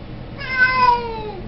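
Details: A single drawn-out meow from a Siamese cat, bright and harmonic-rich, gently falling in pitch over about a second, with a quiet room in the background.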